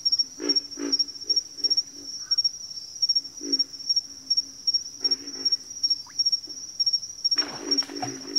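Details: Backwater frog chorus with short low grunts and croaks spaced irregularly, a rapid high ticking pulse running steadily behind them, and a louder, rasping burst of calls near the end.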